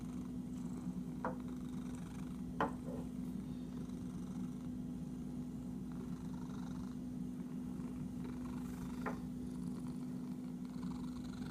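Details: Purring from an itchy house cat: a constant deep vibrating hum, interrupted by three or four brief sharp clicks and quiet rustles.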